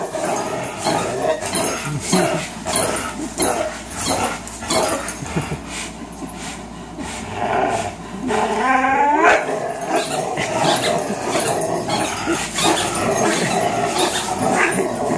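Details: Two 3-year-old dogs, Fox the Greyhound and Miles the German Shorthaired Pointer, at a tug-of-war marathon they often play: continuous gruff growls and snarls, with a brief rising, wavering whine near the middle.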